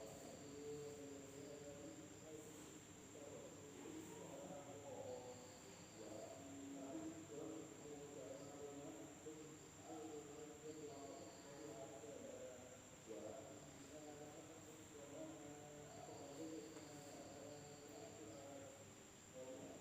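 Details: Night insects in a village in Indonesia: a steady, unbroken high-pitched whine runs throughout, beneath a busy layer of lower warbling, pulsed tones that overlap and repeat across the whole stretch.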